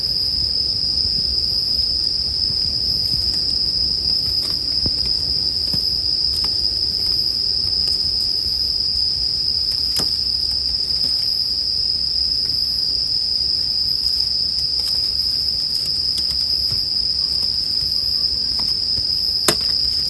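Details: Bell crickets paired with a campfire for sleep ambience: a steady high ringing drone runs throughout while scattered sharp crackles and pops from burning wood break in irregularly, one louder snap near the end.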